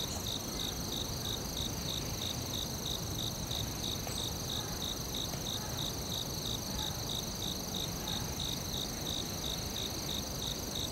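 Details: Forest crickets: a long, regular train of sharp high chirps, about three per second, layered over a constant high-pitched insect whine and soft low rumble.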